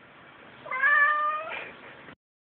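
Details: Cat that keeps bumping its head against the door to go out utters a long meow that rises, holds, then breaks into a rougher ending; faint background hum.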